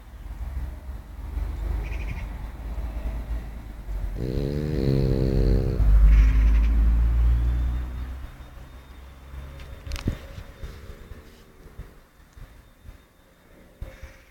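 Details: Yoda, a Boston Terrier, is asleep and dreaming while snoring loudly: a deep, rattling snore that swells to a strong harmonic drone for several seconds, then fades into softer, rough breathing.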